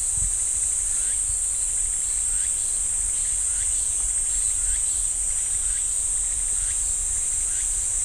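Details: Cicadas drone steadily in a pine forest at Ssanggyesa temple, Jirisan National Park, a constant high buzz; fainter repeated short chirping notes from another caller sound about every second beneath it.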